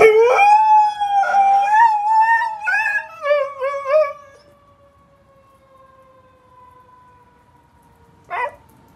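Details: A Siberian Husky reacting to a fire truck siren gives a run of wavering, yodel-like howls in the first four seconds, the pitch bending up and down. A long, slowly falling tone trails after, and a brief sharp sound closes it.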